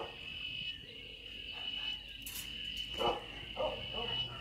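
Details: The season's first cicada chorus, heard from a home terrace in Sonora on a weekend morning, holds one continuous, piercing high drone. A woman speaks briefly over it; she says the cicadas herald coming rain.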